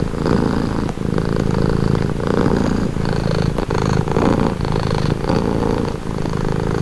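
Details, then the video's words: Close, loud purring of a domestic cat for relaxation, a deep vibrating rumble rising and falling with each breath roughly every second, unbroken apart from tiny pauses. "Purring cat"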